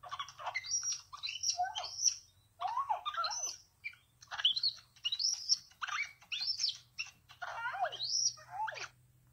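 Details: Baby capuchin monkey, a pet male, greeting its owner on return after a short time with a babysitter. Bursts of high, twittering chirps sweep up and down, with brief pauses between clusters.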